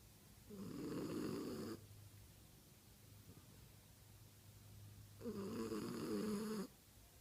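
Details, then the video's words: A female French Bulldog snores in her sleep in two long, rattling breaths with a quiet pause between. "French Bulldog snoring in her sleep"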